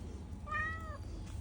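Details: A talkative domestic cat gives a single meow of about half a second, a clear tonal call that arches gently up then down, over a low steady indoor hum.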